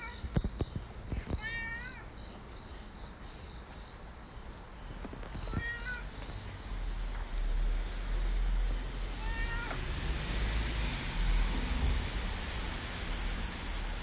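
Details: Three clear, wavering meows from Nero the street cat, about four seconds apart. Traffic noise swells into a loud passing vehicle rumble after the last cry.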